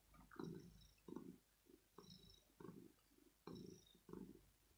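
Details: Male kitten in the early morning, having woken his owner wanting cuddles, petting and perhaps food; low rhythmic purring in soft pulses roughly every second, with faint higher rustles above.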